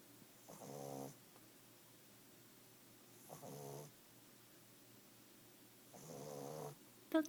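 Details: Snoring from a Boston Terrier puppy aged five months: three rattling, harmonic snores, each lasting well under a second, spaced roughly every two and a half seconds, ending with a sharp click.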